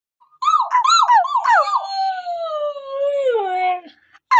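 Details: Pet Siberian Husky howling: a few short wavering yips, then one long smooth tone sliding slowly downward for about two seconds before fading out; a brief sound returns at the very end.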